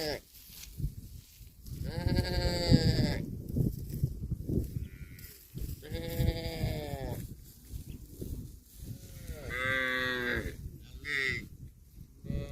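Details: Grazing cattle moo in three drawn-out, rich-toned calls spaced a few seconds apart, with quieter calls, rustling and chewing noise between them.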